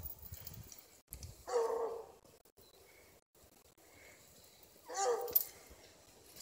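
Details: Bluetick Coonhound Diesel (UKC River Styx Diesel), a massive male stud near 120 pounds and a deer hunting dog, gives two short, rough, harmonic barks about three and a half seconds apart against a quiet background.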